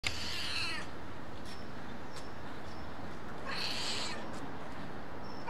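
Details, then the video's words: Stray white and ginger male cat meowing for attention: two drawn-out, strained meows about three seconds apart, each under a second long, over low rumbling background noise. "Homeless Cat Meows At Me For Attention"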